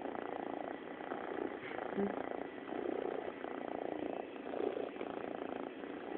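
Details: A pet cat purring steadily, a low continuous rumble with soft rhythmic pulses running through the whole stretch and no other clear sounds.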